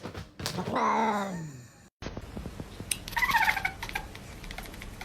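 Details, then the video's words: Domestic cat giving a drawn-out, wavering meow with strong harmonics, sliding downward in pitch and lasting about a second. It is followed by a thump and then soft rustling and scratchy sounds indoors. "Cat’s weird sounds"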